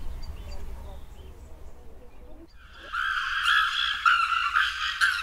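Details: A female chimpanzee at Twycross Zoo screams her lungs out in apparent anxiety while crawling through grass, before the male Jomar offers his back for a calming hug. Quiet murmuring gives way to a loud, harsh, high-pitched scream in ragged bursts.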